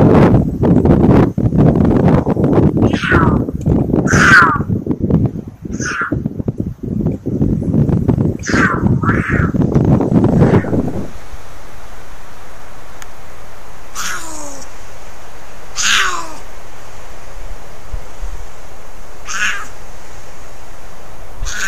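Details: Female mountain lion caterwauling, January 2020: harsh yowling cries repeated every one to two seconds, first through loud rumbling wind noise, then clearer and spaced a few seconds apart over a quiet background.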